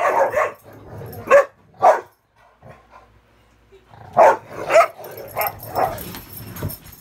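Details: Dogs at play indoors on a bed during muddy weather, Ravyn guarding the bed while Kyla and Knight try to climb on; short high barks in two bursts separated by a quiet pause.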